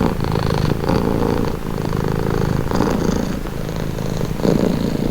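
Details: Close, steady purr of a cat meant to calm and relax, a low grainy rumble with soft breath swells and a louder surge near the end.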